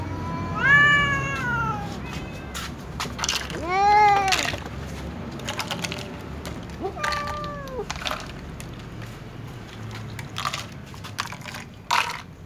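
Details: Tom cat and ginger cat meowing loudly at each other before eating together; three drawn-out harmonic meows, each rising then sliding down, spaced a few seconds apart over a low rumble with scattered clicks and knocks.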